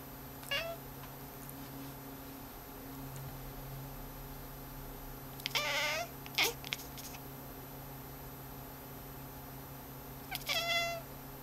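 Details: Pet cat watching the cursor on a screen meows three times over about eleven seconds: a short meow, a longer stronger one followed by a brief chirp, then a final meow, against a steady low hum.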